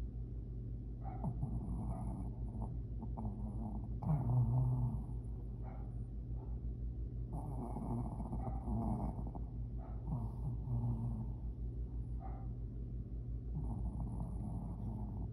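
A Shih Tzu snores with a low, rattling rumble on each breath, swelling into louder bursts roughly every three seconds. The rough, throaty snorts stay deep and steady throughout.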